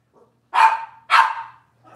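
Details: Cavalier King Charles Spaniel puppies from Robin's litter, filmed indoors on a kitchen camera: two loud, sharp yelps about half a second apart, each breaking off quickly, with faint squeaks before and after.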